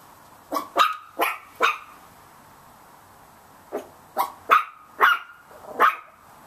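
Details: Little Chihuahua puppies barking at a cat in a yard: sharp, high yapping barks, a burst of three, a pause of about two seconds, then five more in quick succession.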